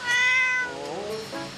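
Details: Domestic cat living in a flower shop meows after scratching a tree that can no longer be sold, and is scolded for crying; one loud, high, harmonic meow of about half a second, then softer, falling, trailing notes indoors.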